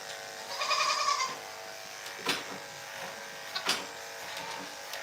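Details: Domestic goat on a farm, filmed indoors on a morning around milking time: one short, wavering bleat with a nasal, harmonic tone lasting under a second. A steady mechanical hum runs underneath, with a few knocks and clatters afterwards.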